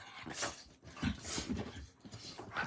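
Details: Dogs playing indoors late at night around 11:30, one biting another; breathy growls and huffs in short bursts, with scuffling between them.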